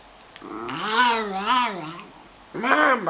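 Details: Grumbling indoors in the morning, unhappy at being woken early, Scruffy the miniature schnauzer makes a wavering, up-and-down growl lasting about a second and a half, then a shorter burst, with a person repeatedly urging him to say mama.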